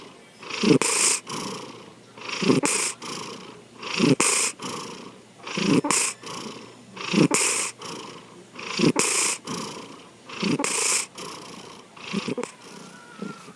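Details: Sleeping house cat named Sankichi snores in a steady cycle, roughly every 1.6 seconds, each breath a throaty rattle swelling into a breathy hiss before fading; a faint high tone near the end.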